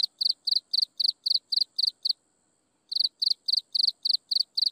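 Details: Insects chirping at sunset in steady, high-pitched pulses, about four bursts each second, with one brief pause.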